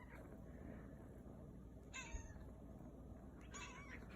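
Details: Kitten giving two short, faint, odd meows that the owner finds funny because they hardly sound like meows, indoors against low room hum.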